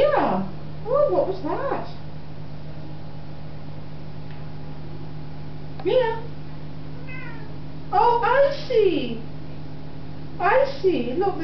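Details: A talkative female Siamese cat greets a person with loud, deep, drawn-out meows that bend up and down, answering the person's talk, in footage from 2005.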